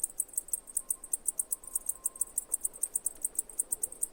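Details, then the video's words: Cicada chirping: sharp, very high-pitched pulses repeated steadily about six times per second throughout, each a brief bright tick, over a faint low background hum and a thin steady tone drifting briefly in the middle. "Cicada Chirping Sounds"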